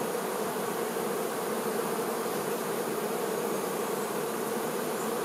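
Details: A colony's worker honey bees caring for their queen produce a thick, constant hum, many insects buzzing together without pause or change in intensity.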